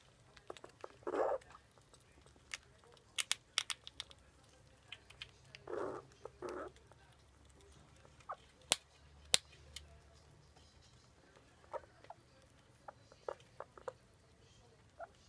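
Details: Vevik, a squirrel, eating a hazelnut: a brief muffled squeaky grunt near the start and a pair of similar grunts midway, amid scattered sharp clicks and cracks of gnawing on the nut, over a quiet background.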